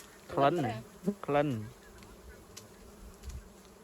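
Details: Wild honeybees at a hive being harvested for honey: two loud droning buzzes as bees fly close past, pitch sliding downward, then a soft background hum.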